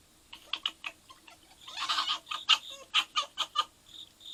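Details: Three red foxes call together on August 16, 2024 in a burst of short, raspy, high-pitched yelps and chatters, an irregular flurry with a few notes rising into thin squeals and a noisy rush at its peak.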